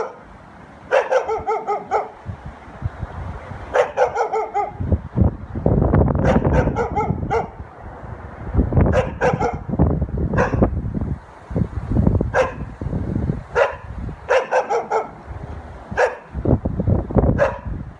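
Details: Pet dog barking in short, bright bursts, some single and some doubled, spaced every two to three seconds, over a steady low rumbling noise throughout.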